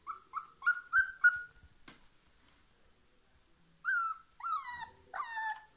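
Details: A female husky stuck in a basket, trying to get out, gives five quick whimpering yips. After a pause of about two seconds come three louder, drawn-out howling whines.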